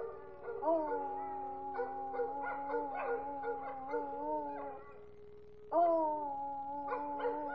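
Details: American Foxhound howling along with its owner, long sustained tonal howls with wavering harmonic pitch, a pause near five seconds, then a fresh loud howl rising in again.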